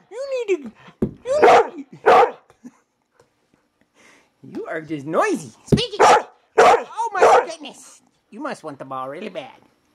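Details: Female pet dog complaining it isn't fair her sister has the ball, alternating wavering whines and howling groans with pairs of short sharp barks, indoors with pauses between outbursts.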